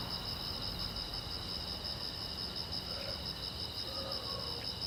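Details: Night chorus of crickets along a quiet road: continuous high, rapidly pulsed chirping in two stacked bands, with faint low rumble and brief soft mid-pitched sounds near the end.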